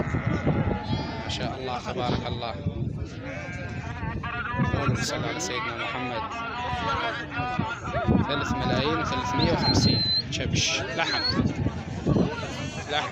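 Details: Flock bleating at a busy Syrian livestock market, March 2023. Quavering bleats overlap with men talking, low rumbling background noise and occasional thin whistle-like tones.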